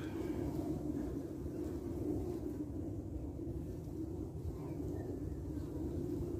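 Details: Carniolan honey bees guarding and defending their hive entrance against wasps; a steady, low droning hum of many wings runs unbroken throughout, over a deep rumbling background.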